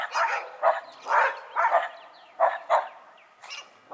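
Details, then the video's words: Short, sharp barks from dogs including a Shiba Inu and a Schipperke, about seven quick yaps in four seconds, clipped and mid-pitched with brief pauses. "Dogs having a Town meeting"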